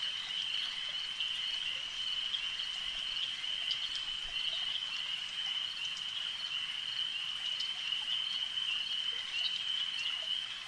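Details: A massed chorus of frogs at a lake, heard as a continuous bright trilling band with occasional sharper ticks rising above it, steady in volume throughout.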